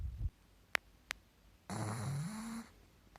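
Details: Guu, a male pug, napping on a new pillow gives a short low snort, then after two sharp clicks a drawn-out rumbling snore lasting about a second that slowly rises in pitch.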